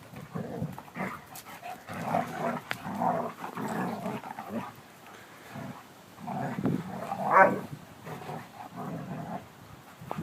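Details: Playful German Shepherds Abbey, a brown female of 16 months, and Bear, a silver male of 9 months, growl steadily and deeply in long rolling stretches, rising into a louder snarl midway, with scuffles and breathing between.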